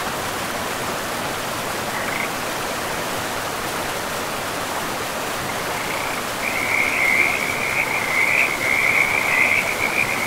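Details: Frogs beside a river in a pristine forest with moss-covered ground: a steady rush of flowing water fills the first six seconds before a chorus of high, pulsed, rattling croaks rises and continues to the end.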